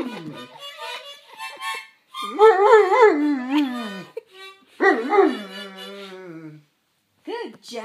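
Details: Domestic Rottweiler joining in with a harmonica, giving two long warbling howls with rapid pitch wobbles, then a short final yowl. Harmonica notes sound between them, along with brief human voice.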